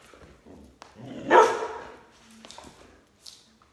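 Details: Border Collie barking while its owner jumps rope indoors; one short, loud bark near the middle, with faint thumps and rustling before and after.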